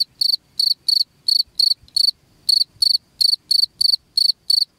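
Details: Chirping cricket, its sound meant to keep rats away from the home: short bright pulsed chirps, each split into quick syllables, spaced about a third of a second apart with one slightly longer gap.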